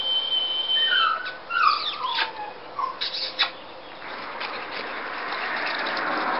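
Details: Ten-week-old Scottish Terrier puppies give thin, high whines that slide downward, several short squeaky notes overlapping in the first three seconds, then fade into a steady broad hiss of background noise.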